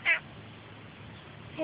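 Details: Ash, a male Australian grey tabby cat usually a street bully, being affectionate and sooky while a car is cleaned; one short, bright meow at the start, a faint second note at the end, low steady background hum.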